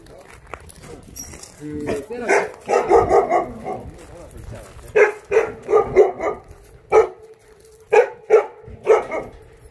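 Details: A Korean Jindo dog at a kennel in Jindo, Korea, barks in short, sharp, mid-pitched bursts, with human voices nearby.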